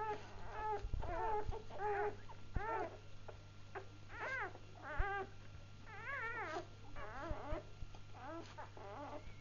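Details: Newborn Labrador Retriever puppies, just born: a string of high, wavering whimpers and squeaks with warbling, up-and-down pitch, several overlapping, over a steady low hum and occasional soft thumps.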